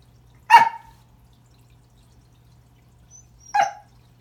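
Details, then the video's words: Remington, a Pembroke Welsh Corgi, greeting a new toy found under the Christmas tree with two loud, sharp barks about three seconds apart in a quiet room. "Corgi Christmas"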